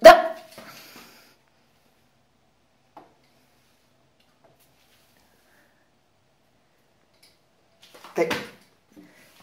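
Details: Dachshund stealing a pair of glasses gives one sharp, loud bark at the start, then after a long silence a second, rougher bark burst about eight seconds later.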